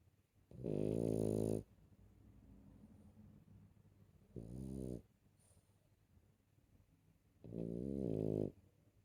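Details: Puppy snoring while asleep, three loud harmonic-rich snores about a second long, spaced three to four seconds apart, with quieter breathing between them in a small room.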